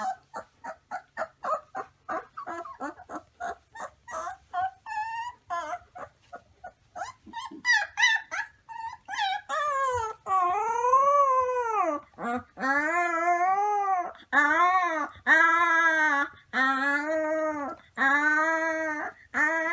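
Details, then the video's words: Wolf pups start with rapid, clipped yips in quick succession, then move into a run of arching howls that rise and fall. The howls come about once a second and grow longer toward the end. "Baby Wolf Pups Howling"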